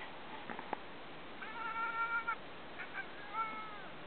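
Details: Male Ragamuffin cat indoors staring at birds he wishes to hunt, giving odd tonal chirping sounds: a sustained bleating note near one second long, then shorter flat chirps, with faint clicks early on.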